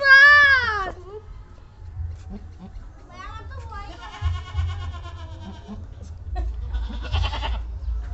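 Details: Deshi goat doe that has just given birth to three kids; opens with a loud, wavering bleat lasting about a second, followed by people talking close by and brief music.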